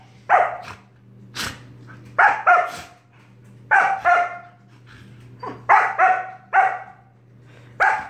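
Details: Pet dog Sorbetto barking in his big sister Biscotti's face to harass her during lazy indoor play: sharp, loud barks in irregular bursts, often doubled, with quiet gaps and a steady low hum underneath.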